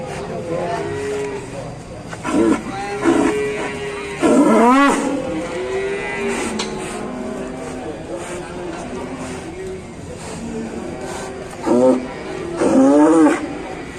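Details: Cow in a cattle pen in Indonesia, mooing very loudly: several long harmonic bellows, some rising and falling in pitch, clustered around 2.5, 4.5, 11.5 and 13 seconds, with people talking in the background.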